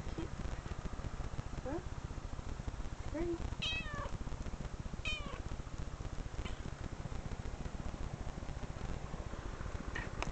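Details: Recorded cat meows played back indoors from online videos: a handful of short, rising-and-falling meows spaced a second or two apart over a steady low rumbling hum.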